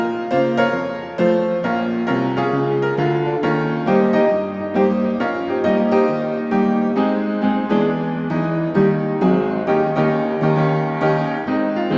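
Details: Only piano music plays, a steady series of keyboard chords and notes with no animal voices.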